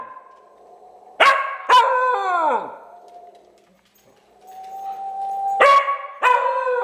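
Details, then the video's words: Pet dog howling in response to its owner's strange whistling; a steady whistled tone runs underneath, broken by two pairs of loud, harmonic yelping howls, the first pair trailing into a downward-sliding wail. "I made my dog howl!?"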